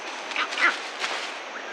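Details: A vervet monkey gives harsh, barking alarm calls, short rough bursts at uneven intervals, having either spotted waiting cheetah cubs or another predator, a cheetah, approaching.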